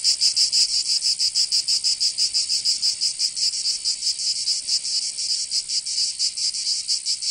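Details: Cicadas in summer in the south of France, Provence, giving a shrill, metallic buzz that throbs in regular beats roughly four to five times a second, steady and loud from start to finish.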